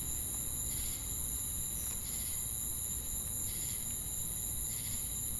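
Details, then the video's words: Insect chorus of crickets and cicadas: continuous shrill high hiss with rhythmic buzzy pulses at roughly eighty per minute, backed by a steady low background rumble. "Crickets & Cicadas Chirping Sounds"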